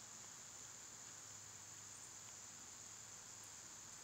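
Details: A short stretch of summer cicada song: one flat, high, continuous shrill tone over a quiet low hum, with a tiny faint chirp late on.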